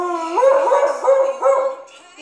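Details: Pet husky howling along to its favourite song, Dark Horse: a smooth tone sweeps upward, then wavers in three warbling, yodel-like pulses before fading; a person speaks right afterward.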